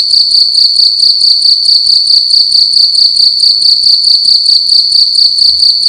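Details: A single cricket calling loudly at night inside a room: a high, shrill, continuous ringing trill pulsing steadily about twice a second, with no other sounds.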